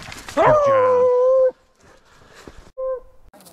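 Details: A Beagle rabbit hunting in upstate New York in February 2023 lets out one long, drawn-out bay lasting about a second. A brief, quieter second bay follows after a pause, against a calm outdoor background.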